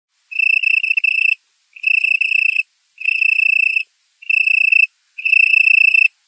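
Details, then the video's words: A male Italian tree cricket stridulates to attract a mate in a currant plantation in Poland at 20:00 on 27 September, at 18°C, the last warm night of the year, giving a soft purring trill in roughly one-second bursts with short pauses. "Italian tree cricket (Oecanthus pellucens)"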